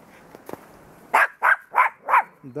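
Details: Dogs bark outdoors during Jazik the Russian Toy Terrier's winter walk, with other dogs present behind a fence. Four sharp, loud barks come in quick succession about a third of a second apart, after faint voices and rustling.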